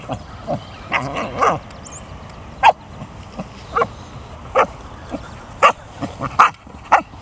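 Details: American Eskimo dog vocalizing while playing with an abandoned rubber basketball found at a school yard; short sharp yips and barks at irregular intervals, some whiny voiced sounds early on.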